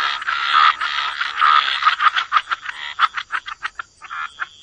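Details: Frogs croaking by the waterside in a wetland chorus: dense, buzzy pulses around the mid range, first in long smeared bursts, then breaking into quick separate croaks near the end, with a steady high tone running underneath.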